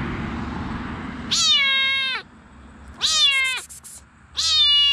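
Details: Female mink Bengal kitten, Zara-Oliver, at a cattery: three high, drawn-out meows, each starting high and slurring downward, spaced about a second and a half apart over a low background hum.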